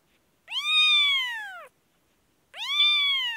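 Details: Two drawn-out, high arched mews from an infected Kashmir kitten, each lasting over a second with a bright harmonic stack, separated by a brief silence.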